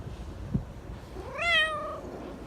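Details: A talkative black Persian cat from a park gives one drawn-out, affectionate meow that rises and then slowly falls, preceded by a soft knock.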